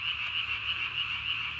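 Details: At night on 3 May 2020, a Japanese tree frog calls with its throat sac swollen as large as its body, giving a continuous shrill pulsed rattle. One faint click stands out briefly near the start.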